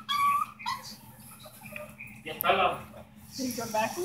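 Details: A Chihuahua gives high, tuneful whining cries that rise and fall like singing; the owner says it sounds like he is crying the Digimon theme song.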